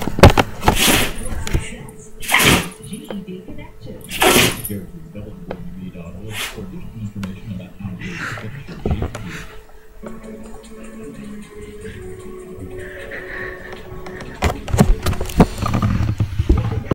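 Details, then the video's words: Yoda, a female pet dog, sneezing repeatedly indoors: three sharp, explosive bursts come in quick succession near the start, followed by quieter shuffling and a low hum, then a cluster of clicks and knocks toward the end. "my dog repeatively sneezing lolz"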